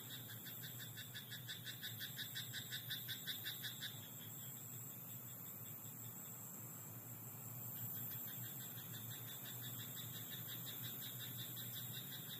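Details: Frog in a rice paddy at night: a rapid train of pulsed croaks, about three per second, runs for four seconds, pauses, then resumes more softly near the end, over steady high insect trilling and a low hum.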